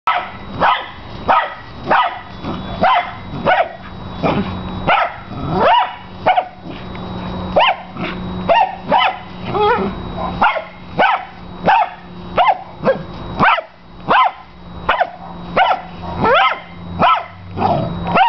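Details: Pet dog with obsessive play behaviour, barking while playing with his big tennis ball: a piercing, high bark repeated in quick, uneven bursts about every second, with some whiny rising notes and a steady hum underneath throughout.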